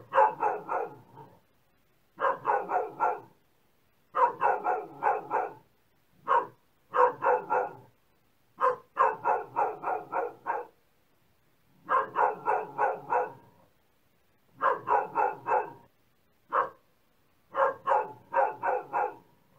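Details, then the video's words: Dog barking steadily in rapid clusters of three to five barks. The clusters come about every two seconds, sometimes broken by single barks, with brief silences between groups. "Dog Barking Sound"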